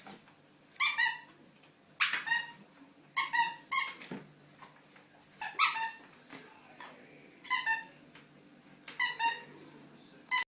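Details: Playful puppy Coco squeaks and yelps indoors in a small room: sharp, shrill bursts of two or three cries repeated about every one to two seconds over a quiet background.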